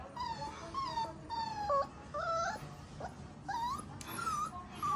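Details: Young Golden Retriever puppy during its first steps, letting out wavering, high-pitched whines. Some cries bend upward and some slide down, coming in uneven bursts over a few seconds in a quiet room.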